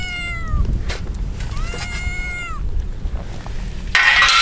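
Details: Wet stray kittens wailing in the rain ahead of a typhoon: two long meows, the first sinking in pitch, the second level before dropping away, followed near the end by a sudden loud burst of noise.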